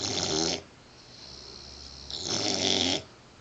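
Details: Mastiff/Pit Bull mix puppy asleep and snoring, giving two loud, rough, hissing snores separated by a soft drawn-out breath, the second snore longer and fuller.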